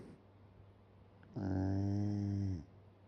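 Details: Shiba Inu fast asleep indoors with its mouth open, giving one long, low, droning snore of just over a second with a buzzy rasp. A quiet room hum runs beneath it.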